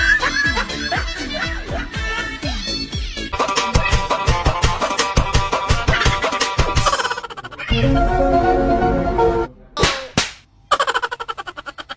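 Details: Loud electronic music with plucked beats and scratch effects throughout, and no audible animal voice.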